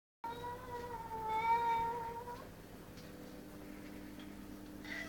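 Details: Angry domestic cat in a garden, going berserk at a magpie and an intruding cat; one long, tonal yowl with strong harmonics, swelling and slightly wavering for about two seconds, then faint background hum.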